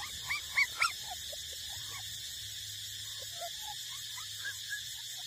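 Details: Puppies eight weeks old feeding at their mother's teats give a few sharp high squeaks at the start, then soft, brief whimpering squeals spaced through the rest, against a constant background hiss.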